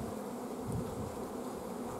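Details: Hive of honey bees whose queen is blocked from laying during a dearth of forage, recorded at an apiary on 14 June 2016. A thick, uniform humming fills the clip, and a slightly louder low swell comes just before the midpoint.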